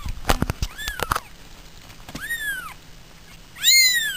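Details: Domestic cats at home give a short meow amid a burst of tapping and clicking, then two louder, drawn-out meows that rise and sink, the last one bright and strong.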